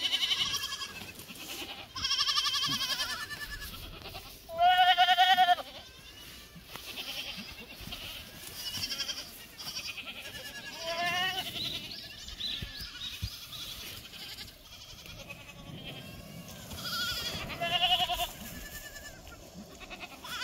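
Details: Black goats on a farm in Gimhae, South Gyeongsang, Korea, recorded 12 July 2024; several nasal, wavering bleats from more than one animal come in bursts, the loudest near the middle, with quieter bleats answering between them over steady background noise.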